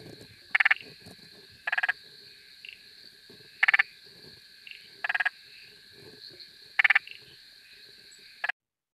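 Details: Spotted marsh frog in Australia, recorded via FrogID, gives short bursts of rapid clicking pulses, like a machine gun, every second or two.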